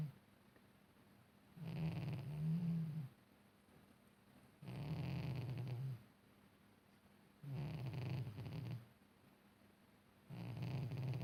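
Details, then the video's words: Domestic cat snoring in deep sleep: deep, rumbling low breaths in long bursts about every three seconds, separated by quiet pauses, with a faint rasp above the rumble. "I love watching him snore in his deep sleep"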